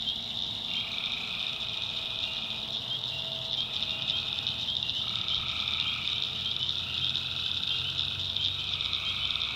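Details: Swamp at night in the North Carolina backwoods, tree frogs in full chorus: a continuous high ringing wall of calls, with drawn-out mid-pitched notes switching on and off every few seconds and a low, rough hum underneath.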